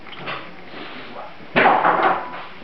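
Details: Grand Basset Griffon Vendéen puppies recorded on 15 May 2009, stirring into movement; a single short, bright whimpering yelp rises midway through a quiet stretch of low background rustle.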